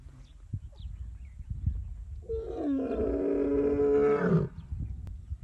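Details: An Asiatic lion in Gir National Park, India, gives a deep, drawn-out moaning call lasting about two seconds.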